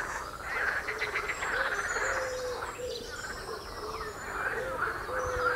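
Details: Frogs croaking along the Royal Military Canal near West Hythe: rough, pulsed croaks swelling and fading, mixed with repeated short, lower arching calls and faint high bird notes.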